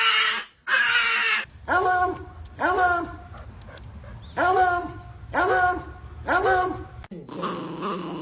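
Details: Pet dog named Momito giving a run of five whiny, yelping calls about once a second, each sliding down in pitch, with a person's voice at the start and at the end.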